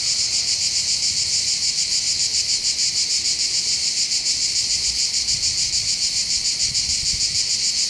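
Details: Cicadas singing in chorus on the heights above the port of Bandol, Var, on the Côte d'Azur in southern France by the Mediterranean: a dense, high, buzzing drone that pulses steadily about three times a second, with faint low rumble beneath.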